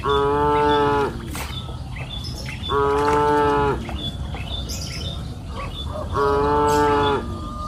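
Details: Cows grazing on a green pasture hill in afternoon light give three even, resonant moos roughly every two and a half seconds, each about a second long, with light bird chirps between.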